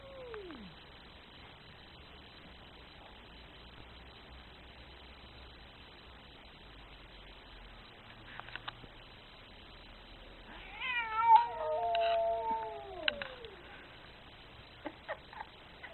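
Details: Very angry cat giving a brief falling cry at the start, then after long quiet a harsh, wavering drawn-out meow that slides downward, with a few clicks and knocks around it.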